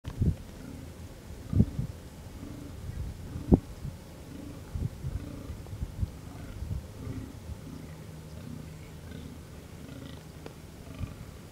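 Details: Fallow deer buck groaning during the October 2020 rut, while males compete for females by groaning and fighting: deep, short belching groans repeated roughly every two seconds, low and throaty, with occasional sharp knocks, possibly clashing antlers.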